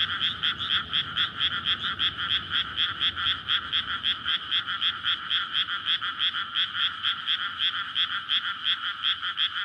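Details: Night chorus of breeding frogs in a freshly flooded rice paddy in May, recorded on a SONY PCM-D100 near a road: nearly ten seconds of rapid, grating croaks from numerous frogs, rhythmic pulsing and continuous.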